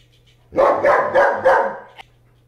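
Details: Pet German Shepherd named Bear, playing with a floppy fish toy, lets out four loud, rough barks spaced about a third of a second apart, then a sharp click, over a steady low hum indoors.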